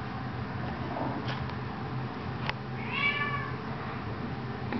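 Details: Eighteen-day-old kittens indoors; one clear, high meow rises then falls over about half a second, preceded by a couple of faint taps, with a steady low hum underneath.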